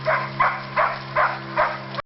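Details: Hooda's puppies, almost six weeks old, on their first walk and exploring one by one, give five short yelping calls about every 0.4 seconds over a steady low hum.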